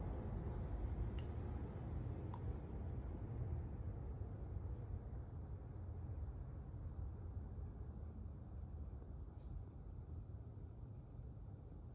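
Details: A steady low rumble, like an engine or wind, with a few faint clicks and no animal voice.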